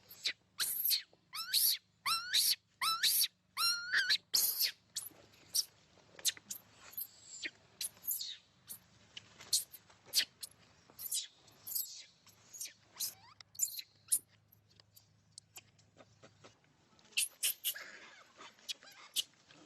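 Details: Young monkey crying and fussing for milk: a rapid burst of sharp, high, wavering cries with rich overtones in the first five seconds, then scattered shorter squeaks, clicks and soft fussing with quiet gaps between.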